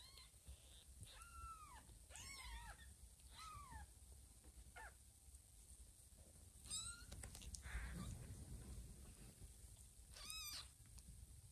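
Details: Mother cat Lima checking on her kittens as they snuggle and crawl on a person's tummy; a scattered run of short, high, arched mews, some paired, with soft rustling and low room noise between.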